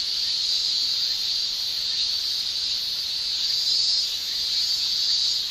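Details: Japanese summer cicadas: males produce a shrill tymbal song, here a steady, unbroken high buzz that wavers only slightly in loudness, with nothing else audible.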